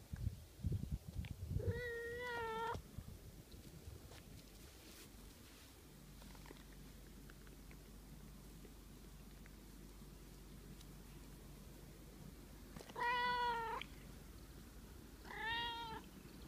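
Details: Pet cat making sweet, coaxing meows to be stroked more by its owner: a drawn-out harmonic meow near the start, then two shorter rising-falling meows close together near the end, with handling noise and quiet pauses between.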